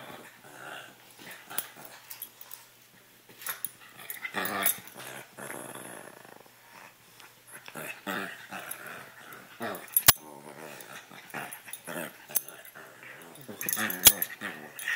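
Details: Two puppies playing indoors, giving rough, buzzy growls in uneven bursts, with scuffling and a few sharp clicks between them.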